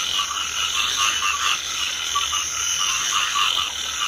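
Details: A full rice field of frogs calling in light rain, many voices merging into a thick, steady croaking roar with gentle swells in loudness.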